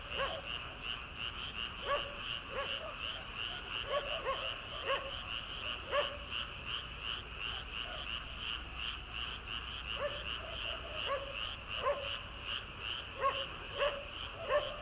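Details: Early-summer frog chorus heard from a rice paddy at night before transplanting: a thick, pulsing trill runs throughout while louder individual croaks punctuate it roughly every second or two.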